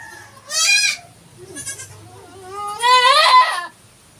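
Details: Goat bleating while a goat gives birth on a farm: a short wavering bleat, a fainter brief one, then a long quavering bleat that rises and holds, with rich harmonics and a steady faint high hum behind.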